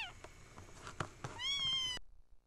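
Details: Small kitten indoors, possibly altered by camera effects, gives a rising, sustained meow of about half a second after soft taps and handling noises, ending abruptly.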